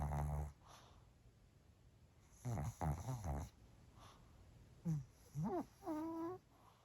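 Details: Pomeranian named Bochao snoring while asleep at lunchtime indoors: a low rasping burst, then a cluster of short throaty snores, followed by a few tonal, rising-and-falling whiny breaths separated by quiet pauses.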